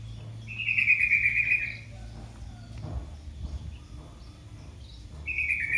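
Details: Kitten crying for its mother: a long, high, slightly falling mew lasting over a second, a quiet gap, then the start of another high mew at the end, over a faint low hum.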